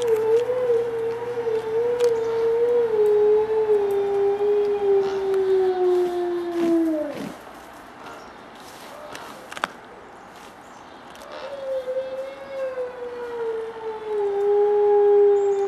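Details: A gray wolf gives long, smooth defensive howls, each starting steady and sliding downward before breaking off, in response to barking and howling sled dogs across the road in February; another wolf chews a deer leg close by.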